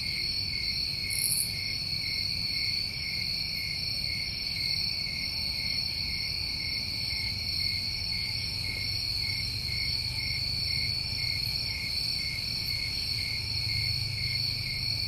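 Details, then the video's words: New England summertime crickets trilling steadily and continuously in two high bands for fifteen seconds, with a short very high chirp early on and a soft low rumble below. "Tinnitus Masking With Crickets"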